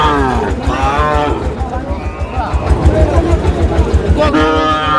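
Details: Sahiwal bull calves at a cattle market where a Cumilla farmer buys stock: deep, drawn-out harmonic moos open and close the recording, with people bargaining over prices and low vehicle rumble throughout.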